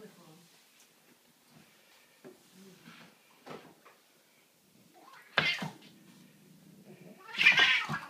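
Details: House cat fighting a broom indoors: a quiet stretch of soft rustling, then two loud, harsh caterwauling yowls about two seconds apart, raspy and rising in a small room.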